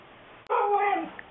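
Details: A Siberian Husky named Lumi gives a short, loud tonal whine-howl of about half a second. It is rich in harmonics, holds steady, then slides downward at the end, over a faint steady background hiss.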